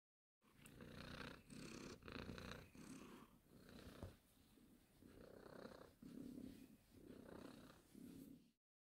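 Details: Domestic cat purring close up, a low rumbling purr in pulses of about half a second to a second, each breath in and out heard as a separate burst, with brief quieter gaps.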